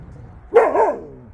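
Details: Jindo dogs out on a walk; one gives a single loud, wavering bark that rises sharply, then dips and rises again before trailing off within half a second, over a low rumbling background.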